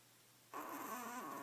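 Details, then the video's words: Sleeping badger snoring noisily: one raspy, breathy snore begins abruptly halfway through and holds steady for about a second, with a rough tonal band low in the voice. "Sleepy Snoring Badger"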